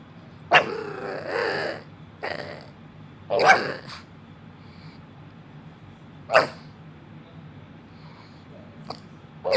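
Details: Female pet dog answering back after being told to be quiet: a few short, sharp barks and grumbling bursts at irregular intervals, separated by near-silent gaps.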